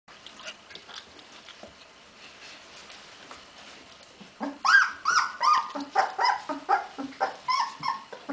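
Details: Hungarian Vizsla puppies, recorded on 15 February 2011: quiet rustling at first, then a run of high, tonal whines and yelps from about 4.5 seconds, falling in pitch and repeated more than once a second.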